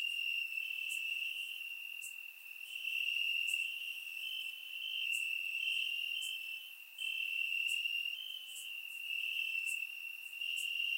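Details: Grass crickets on a warm summer night in Bulgaria, recorded in surround sound, sustain a shrill ringing trill in waves of loudness, while faint sharp chirps repeat regularly above, about one per second.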